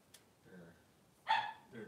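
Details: Newborn Blenheim Cavalier King Charles Spaniel puppy, three days old, one of two male pups in Pom-Pom's whelping pen, gives a single short, bright, nasal squeak after near silence, with a fainter whimper at the end.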